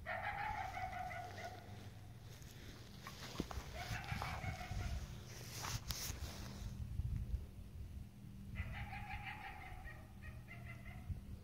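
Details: A coyote, heard in the morning, gives persistent drawn-out, harsh barking wails, with steady low rumbling noise underneath.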